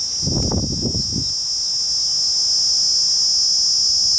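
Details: Kuroiwa cicada, an endemic cicada of the Amami and Okinawa islands, singing in an Okinawan forest in the season heralding summer and the coming rainy season: a steady, shrill, high-pitched continuous drone, with brief low thumping music at the start.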